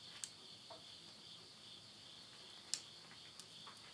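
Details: Midnight insect voices in rural Yurihama, Tottori, Japan, late summer, September 2020, form a constant high trilling band, broken by a few sharp pops from wood burning in a home stove.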